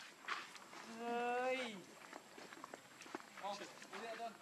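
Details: Baby macaque named Leo, hungry, crying to beg its mother for milk: one drawn-out harmonic wail that slides down near its end, then brief softer whimpers and scattered rustling and clicks.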